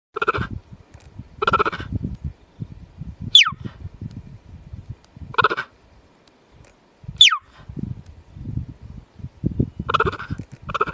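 A cheetah gives sharp, high chirps that sweep steeply downward, calling out to find her siblings.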